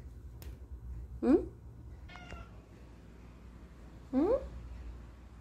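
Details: Pet cat talking back to its humans indoors. It gives two short, rising meows about three seconds apart, with a brief human voice between them over a low background hum.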